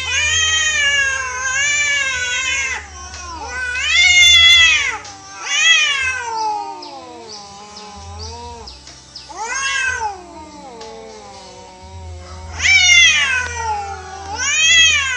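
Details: Wild cats in a natural fight that an orange cat loses: a sustained yowling duel, long quavering howls broken by sudden loud rising screeches every few seconds, steady low hum in the background.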